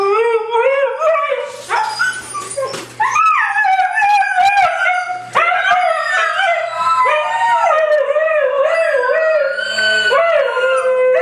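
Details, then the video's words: White huskies, three of them, howl together in a group sing-along, their voices overlapping into a continuous wavering chorus with rising and falling pitch bends and brief yips breaking in. "Three Howling Huskies"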